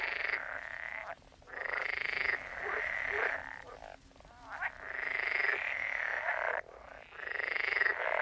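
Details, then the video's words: Frogs croaking in a chorus, long rasping trills in bursts of one to two seconds separated by short pauses, several callers overlapping. "Sound of Frogs Croaking"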